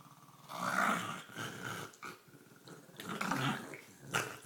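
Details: Olive, a female pet dog, growls, snorts and gurgles while playing with her green toy; rough, throaty growls rise and fade in several bursts across a few seconds, ending with a sharp snort.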